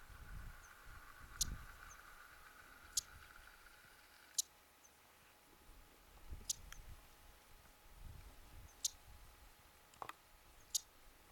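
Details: A Mongolian marmot (tarbagan) in the Khan Khökhii range, Mongolia, on 31 July 2010, gives short, sharp, high chirps, repeated every one to two seconds.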